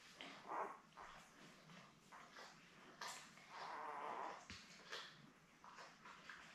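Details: Eleven-day-old Labrador Retriever puppies with their mother Belle, one of a litter of seven born May 24, 2021, on a live puppy cam: brief whimpers and snorts, then a longer thin whine lasting almost a second, followed by more scattered squeaks.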